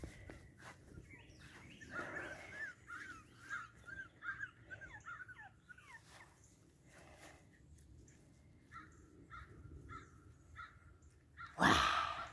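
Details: Boston Terrier puppies from Wiggle's litter give a stream of squeaky, high whimpers, several sliding downward, in short irregular bursts, ending in a loud rustling thump.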